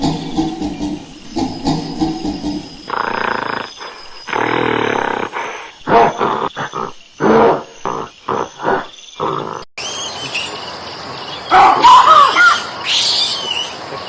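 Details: Monkey calls in a rapid run of harsh, roaring bursts and squeals, some grunting, pausing briefly between outbursts, then higher screechy cries near the end, with a sudden break in the middle.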